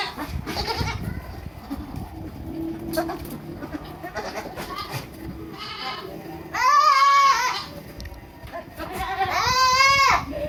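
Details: Baby goats at a farm in Purwokerto, Indonesia: after several seconds of soft background noise and faint calls, two loud trembling bleats ring out about three seconds apart, each roughly a second long.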